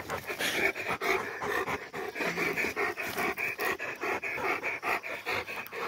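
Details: Two Rottweilers coming down from a tower, one panting hard and fast: breathy, rhythmic huffs at roughly two and a half per second, steady throughout with no other clear sounds.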